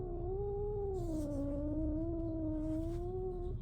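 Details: Young male shelter cat, a fostered kitten born June 2023, yowling indoors while facing another cat that may smack him; one long, steady, wavering moan with a slight rise and fall, lasting over three seconds.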